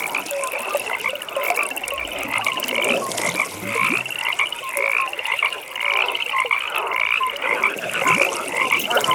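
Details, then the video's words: A nighttime frog pond where rapid rattling trills repeat about once a second over steady croaking from many frogs, forming a dense, pulsing chorus. "Frog Pond"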